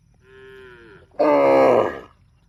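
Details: Tame cow mooing: a soft steady tone falling slightly at its end, then straight into a much louder, rich, harsh moo held for nearly a second before fading.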